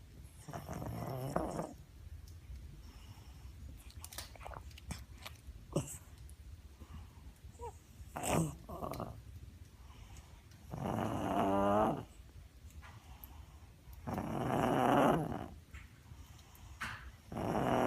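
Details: Six-year-old pug making its constant noises: long raspy snorting, grunting breaths in drawn-out bursts, separated by quieter snuffles and clicks indoors.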